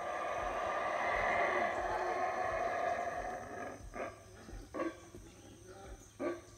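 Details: Howler monkeys in the Belize jungle at Howler Monkey Resort on a rainy morning, starting their usual routine: a loud, harsh, roaring chorus swells for three seconds, then gives way to short, spaced grunting barks about once a second.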